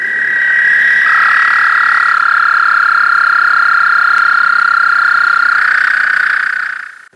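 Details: American toads in an April breeding frenzy at still water give a long, steady musical trill.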